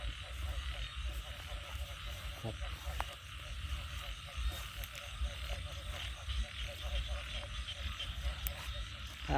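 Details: Many frogs call at night in Isan rice paddies after morning rain, with deep pulsing croaks overlapping in a thick, steady chorus, a soft high insect hiss underneath, and a faint voice at moments.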